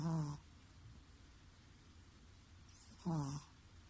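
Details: A sleeping Chihuahua snores hard. Two brief, rasping, low-pitched snorts about three seconds apart, with near silence between them.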